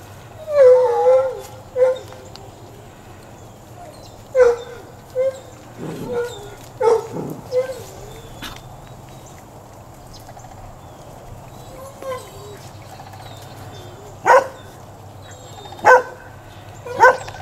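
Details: Great Pyrenees rescue puppies playing while fostered on a farm in Wesley Chapel, Florida: high, wavering whines and short yips in scattered bursts, with brief human speech and soft thumps of play.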